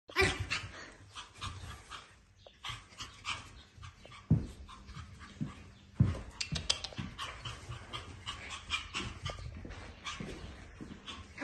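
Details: Male Pomeranian puppy panting: quick, breathy, noisy bursts repeating steadily across the recording, with a few louder thumps and a faint steady hum underneath.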